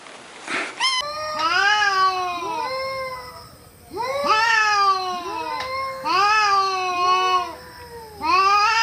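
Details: Domestic cat giving a run of drawn-out, rising-then-falling meows in clusters, several overlapping, with brief quiet gaps between bursts; a short noisy thump at the start.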